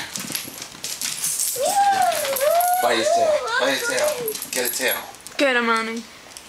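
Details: Two pet dogs playing indoors, a female black Labrador/Cocker Spaniel mix about nine with hip problems and a one-year-old male miniature short-haired chestnut dachshund: a wavering, whiny drawn-out cry, choppy growly bursts, then a short harmonic yelp, while a person talks over them.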